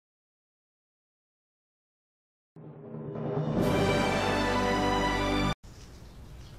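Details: Silence gives way to swelling orchestral music with drum rolls that cuts off abruptly, followed by quieter music.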